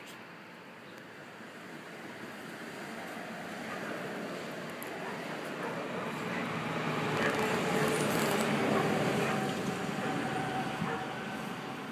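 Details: Steady roadway traffic noise rises and falls outdoors, with faint speech and light clinking but no animal voice.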